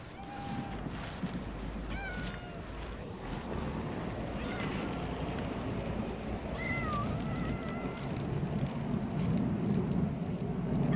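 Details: Early-morning stray tortoiseshell cat pestering for attention, giving several short bent meows around two and seven seconds, then a longer drawn meow, over outdoor background noise that grows louder toward the end.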